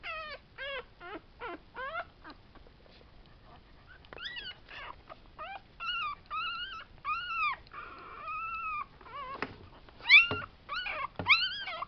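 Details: Tibetan Terrier puppies of a litter born 11 July 2012, kept at a kennel in Hungary, whimper almost nonstop: quick bursts of short, bent, whiny yelps, then longer drawn-out whines, some rising to sharper squeaks.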